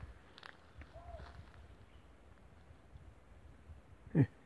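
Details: A single loud, sharp alarm bark of a barking deer cuts through a quiet forested hillside valley on a February 2017 evening near Corbett Tiger Reserve, India, where sambar also gave alarm calls; a tiger or leopard is suspected nearby.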